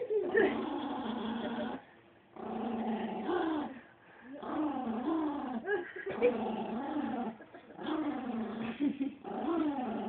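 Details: Attacking Chihuahua growling steadily, a rough snarling rumble in long bursts of about two seconds separated by brief pauses, with faint human voices in the background.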